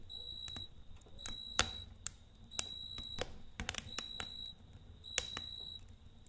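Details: A cricket sings in the night near a crackling campfire, its high, clear trills coming in short repeated bursts while the wood pops and snaps frequently.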